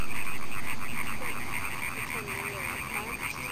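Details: A European tree frog (Hyla arborea) chorus, very loud, calling on a May 15 evening at an introduced site 10 km south of Aarhus, Denmark: rapid, nasal, rattling croaks in quick runs over low rumbling wind.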